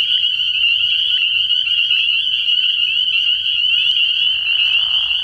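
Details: Night chorus of many spring peepers at a frog pond early in the year, an unbroken piercing high whistle-like wall of peeps, with a short low murmur rising underneath toward the end.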